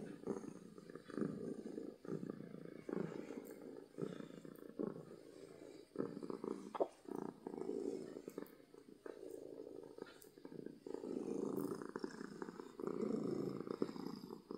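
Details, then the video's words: A happy domestic cat purrs loudly and steadily, a low rumbling throb that swells and eases with each breath. "Cat Purring from Happiness"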